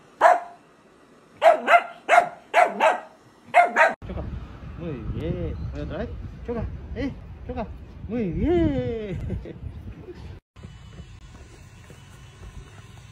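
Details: Miniature dachshund puppy giving five sharp, high yapping barks in quick succession over the first four seconds, then human speech with rising and falling voiced tones through the rest.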